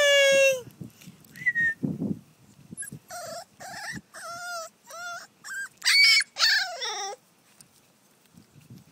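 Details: American Neo Bull puppy, a young female, tied outside in time out after peeing in the house, whimpering and whining in a run of high, wavering, harmonic-rich cries, some rising and falling, with short pauses between and clicking sounds near the start.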